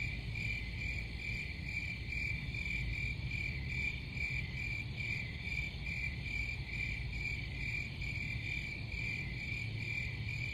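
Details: Crickets chirping in a steady high-pitched band, pulses repeating about twice a second without strict regularity, over a continuous low rumbling background noise.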